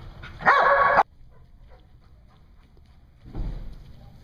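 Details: A single sharp, loud bark from a dog at a Hooksett, New Hampshire dog daycare, dated 01 02 2016, followed by near quiet and then a softer, muffled bark or thump about three seconds later.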